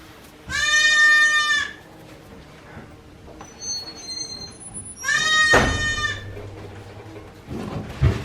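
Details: Newborn goat kids, one day old, at Yoshigake farm in Japan, 17 April 2024: two loud, long, harmonic-rich bleats about four seconds apart, steady in pitch, with small clicks and thin high tones between them.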